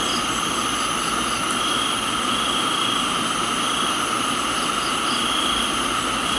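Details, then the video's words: Thai tropical garden at rain time, crickets keeping up a constant ringing trill on several pitches, with soft paired chirps repeating high above and a continuous rain hiss beneath. "Thailands Tropical Garden, Rain and Crickets"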